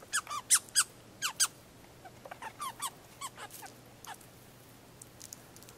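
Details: American red squirrel, a male, giving its territorial rattle to tell the neighbourhood the area is his: a run of sharp, dry broadband chips, loud and close-set at first, then fainter and more spaced, about four a second, in a quiet background.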